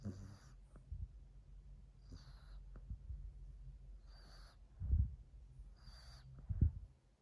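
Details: Mila, a female French Bulldog, sleeps under a chair on 2 March 2021 and snores loudly. Short breathy, hissing snores recur about every two seconds, four in all, with a few soft low thumps near the end.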